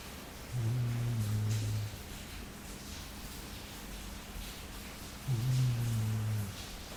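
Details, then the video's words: Low, humming snore from Jully, a sleeping Labrador: two steady droning breaths of over a second each, about five seconds apart, over faint background hiss. "Labrador roncando."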